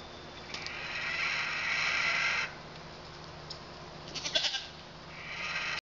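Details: Male pygmy goat kids born 27 February, eating some hay and oats but not fully weaned, near London, Arkansas, bleat in high, wavering bursts separated by short pauses. Pygmy goat.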